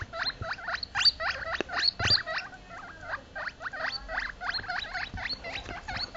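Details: Two baby US Teddy silver agouti guinea pigs, scared when placed on a couch, give rapid, high squealing calls, repeated several times a second, screaming for their mother.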